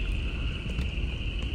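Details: A dense chorus of Upland Chorus Frogs calls at peak breeding in early January, in cool, rainy weather, a steady high trilling heard over the rumble of a car.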